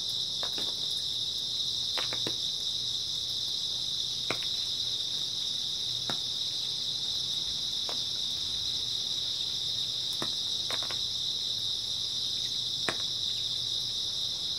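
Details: Grass insects on an early autumn night keep up a dense, steady high-pitched trill without pause, with scattered sharp clicks and ticks breaking through now and then over a faint low hum.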